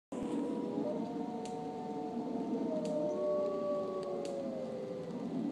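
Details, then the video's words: Several gray wolves howl together at Brookfield Zoo near Chicago on a rainy day, long overlapping tones slowly rising and falling. "Wolves Howling..."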